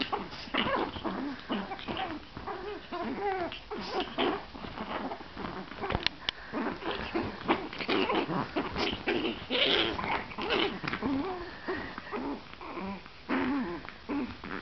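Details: Play-fighting Chihuahua puppies on a bed trade a busy stream of small growls, yips and squeaks, nearly continuous, mixed with rustling bedding and scuffling.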